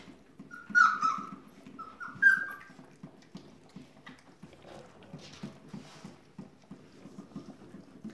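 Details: Keeshond puppies while eating, giving two loud high whimpering yelps near the start, then quieter chewing and lapping noises with faint whines in a small indoor room.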